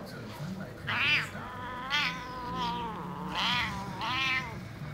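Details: Angry male house cat reacting to a hand waved in front of him; several drawn-out, wavering yowls rising and falling, about four in five seconds, with a low growl between them and German speech nearby.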